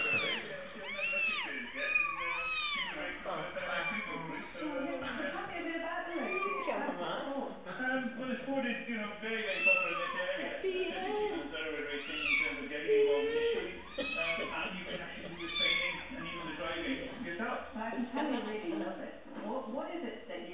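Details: Little fluffy kittens on a chair, several mewing at once in thin, arching, rising-and-falling cries that overlap continuously, with people talking in Spanish underneath.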